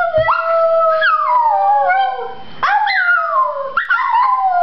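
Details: Chihuahua named Shasta howling while prompted by her owners, a continuous wavering howl with sliding, falling tones and sudden upward yips breaking in, sustained without pause throughout.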